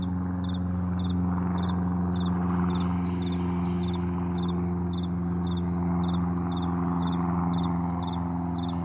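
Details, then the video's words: Crickets in a vast meadow in the morning, short high double-pulsed chirps repeated about twice a second, half masked by a loud steady low drone like a passing plane. "Morning Crickets"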